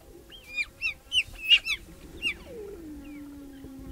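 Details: Wild cheetahs in Olare Motorogi Conservancy, Kenya: a mother with three cubs welcoming a young male intruder. A run of six sharp, high bird-like chirps, each bending downward, then a long low descending tone fading out.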